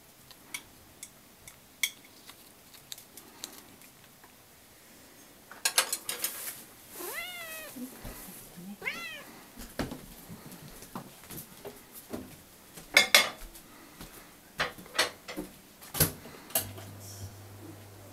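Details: House cats Kei and Patra demanding breakfast: two clear arched meows stand out amid clattering dishes, tapping and household bustle indoors.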